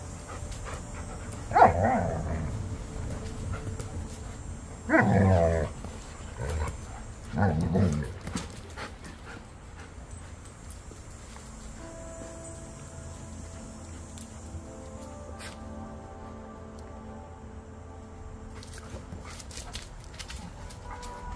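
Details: Pack of dogs, including Kurgan and Ulu, playing and running around indoors just after eating. Three loud, harsh bark bursts come in the first eight seconds, followed by quieter, steady tonal sounds and light panting.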